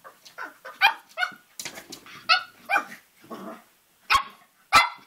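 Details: Cavalier King Charles Spaniel puppy, about three and a half months old, playing with his reflection in a mirror indoors: a string of high yipping barks mixed with short rough growls, sharp and irregular.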